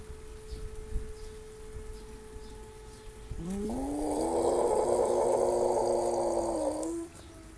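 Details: Pet dog making funny noises: after a quiet start, a sustained nasal, whining drone of about four seconds with a steady pitch and a small step up, ending abruptly.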